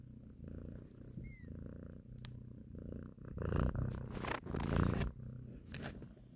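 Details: Mother cat purring while nursing and caressing her kittens; a steady, low, rumbling purr runs throughout, with a brief high, rising squeak near the start and louder rustling, shuffling bursts in the middle.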